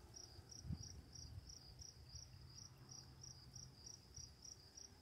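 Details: High, regular chirping of crickets at night by running water, about three pulses per second, steady above a soft continuous low rush and one brief low knock.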